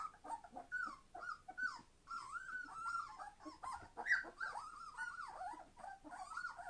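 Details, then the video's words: Entlebucher Mountain Dog puppies, three weeks (21 days) old from a litter born 26 September 2015, very noisy: continuous warbling whines sliding up and down, several voices tangled together over a soft background hiss. "Entlebucher Mountain Dog puppies 21 days old - being very noisy!"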